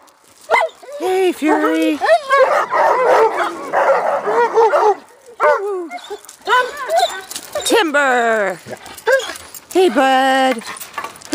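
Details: Alaskan Malamute in a long, expressive stretch of arched woo-woo calls and wavering howls, broken by a rough, noisy burst of overlapping voices, then more rising and falling harmonic moans toward the end.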